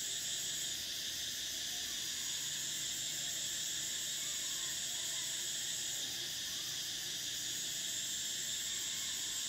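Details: Cicadas singing in summer: a dense, unbroken high-pitched buzzing drone layered in several shrill bands, holding steady throughout, with the brightest top band briefly dipping and returning about six seconds in.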